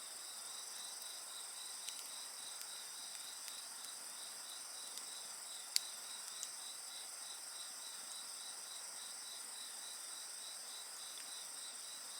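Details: Insect voices alongside a campfire: rhythmic rapid chirps stacked over a constant shrill trill, punctuated by a few loud wood pops and snaps.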